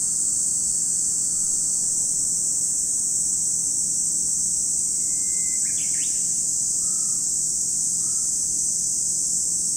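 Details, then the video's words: Cicadas sing a ceaseless high hissing drone at Lake Kamo in Sado City, Niigata Prefecture, Japan; a bird whistle and chirp near six seconds is followed by two soft short notes. "where you can hear the voice of cicadas"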